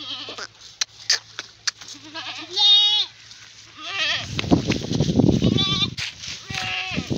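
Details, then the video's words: Goat in water giving a loud, shaky bleat around the third second, followed by more wavering bleats, with splashing water and voices in the background. "Animal goat in water"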